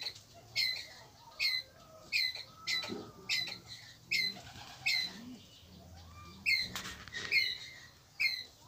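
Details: A Pallas's (red-bellied) squirrel gives sharp, harsh chirps in a steady series, calling its flock together; the call is used as a lure call.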